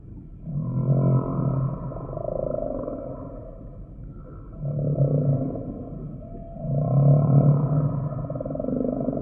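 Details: Deep humpback whale groans come in three long, swelling waves a few seconds apart, each a low throaty rumble with faint higher overtones, over a continuous murmur of underwater hiss.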